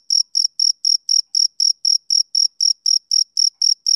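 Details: Sixteen quick, high chirps from a male cricket over four seconds, regular as a metronome, each pulse carrying a fainter higher overtone, heard against complete quiet.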